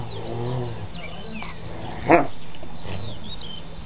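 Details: Dogs at play: a brief low, harmonic growling vocalization fills the first second, followed by a sharp knock near the two-second mark, with faint bird chirps and a steady hum behind.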